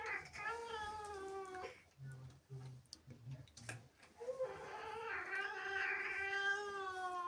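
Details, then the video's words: Jealous angry cat indoors upset by visiting kittens: a long flat yowl, a stretch of low rumbling growl-like pulses, then a loud sustained wavering wail with strong harmonics. "Angry cat makes incredible sounds"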